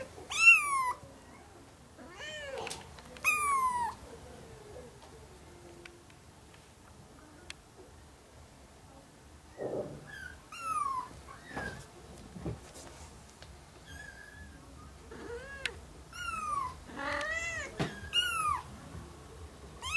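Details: Four ginger kittens, one month old, with their young mother cat, a former stray, in a home; scattered high, wavering meows, some overlapping in clusters, with quiet pauses and faint rustling between bursts.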